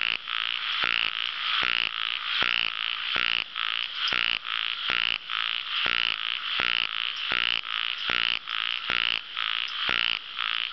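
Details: Raspy, rattling croaks of ornamented pygmy frogs, short pulsed bursts tumbling one after another at about seventy a minute, partly overlapping in a continuous chorus.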